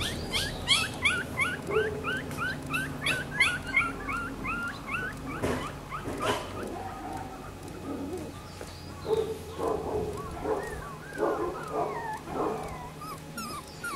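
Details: Newborn Miniature Schnauzer puppies, black and silver, born May 18, squeal in a rapid run of sliding whines during the first half, then lower, grunting whimpers and scattered squeaks with soft rustling.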